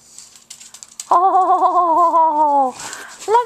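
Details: Pug howling indoors: a sustained, wavering tonal howl of about one and a half seconds with strong overtones, preceded by soft scuffling and followed by a short, rising second cry.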